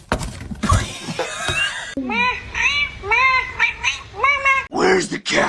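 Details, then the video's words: Cat meowing in a run of short, arched, rising-then-falling mews, about six in quick succession, after a burst of noisy handling sounds; a loud scream-like cry at the end. "cats meowing"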